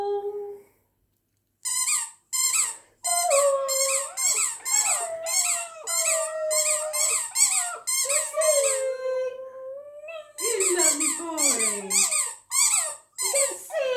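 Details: Border terrier howling along while playing a song on his favourite squeaky toy: wavering, sliding howls under rapid bursts of shrill repeated squeaks, a short pause midway, then a howl that slides steeply downward near the end.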